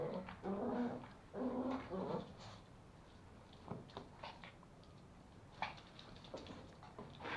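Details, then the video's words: Toy Pomeranian puppies, male and female, wrestle over a sock at home in Kathmandu, Nepal; throaty rumbling growls come in two bursts early on, then fade into scuffling and soft scattered thumps. "Pomeranian puppies fighting for sock / pomo playing with sock"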